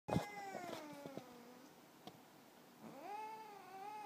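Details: A Siamese cat talking in his sleep gives two drawn-out, murmuring meows, the first sliding downward and the second rising and holding.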